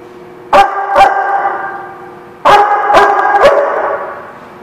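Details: Sharp dog barks at The Barking Lot on 11 February 2017, two quick barks, a pause, then three more in rapid succession over a steady low background hum.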